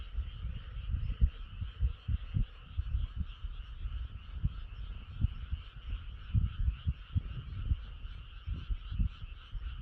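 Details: A moonlit night with clouds over the moon, a frog chorus trilling steadily in the background while louder, irregular low thuds and rumbles come and go in the foreground.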